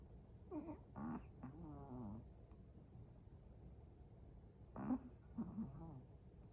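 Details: Sleeping Chihuahua snoring indoors: two bursts of nasal, wheezy, slightly whining breaths, each rising and falling in pitch, separated by several seconds of quiet room hush.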